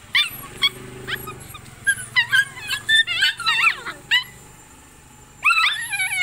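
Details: Desi puppies in India scuffling with each other, giving a run of sharp, high squeals and yelping whimpers in close succession, a brief lull, then another shrill burst; a low steady hum lies underneath.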